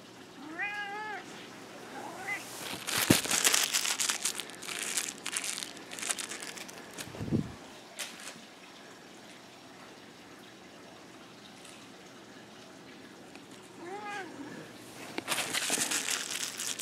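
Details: Nine-year-old black male cat fetching a toy indoors: arched harmonic meows near the start and again around fourteen seconds, with crinkling toy noises, thumps and a man's voice calling him between.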